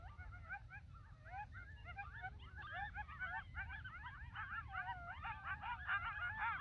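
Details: Riled-up coyote pack gathering a few minutes after sunset on North Table Mountain, a mesa between Golden and Arvada, Colorado: many quick yips and wavering howls overlapping, building louder toward the end, over low wind rumble.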